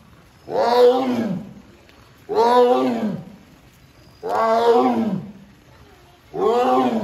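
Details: A female Amur tiger at Hamamatsu Zoo, Japan, September 24, 2023, summons her keeper when the door stays shut. Four hoarse, drawn-out moaning roars, each lasting over a second, follow each other about every two seconds.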